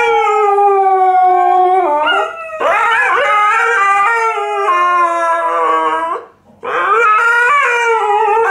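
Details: Tikaani and Wolf, Alaskan Malamute and Husky, howl loudly together in Dear Tonka; sustained harmonic howls with stepwise pitch shifts, two brief breaks between phrases.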